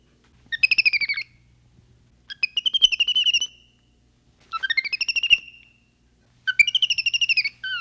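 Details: {'caption': 'Capuchin monkey voicing four separate buzzy, pulsed trills, each about half a second long and slightly rising, spaced roughly two seconds apart against a faint low hum.'}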